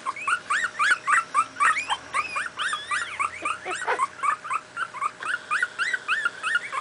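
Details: Miniature pinscher puppies, two weeks old, from a litter born 28 July 2008, at play: dense chorus of thin squealing whimpers from several pups, rapid and overlapping, some rising and falling, over a low background hum.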